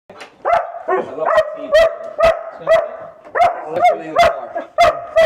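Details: Female German Shepherd that barks excessively at home, on walks and in the car: a rapid run of about eleven sharp, loud barks, roughly two per second, with a whiny tonal edge.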